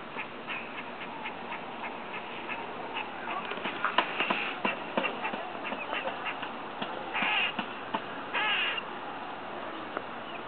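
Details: Strange noises from a squirrel eating outside a neighbouring window: a long run of dry clicks and ticks, then two brief, harsh, rasping calls near the end.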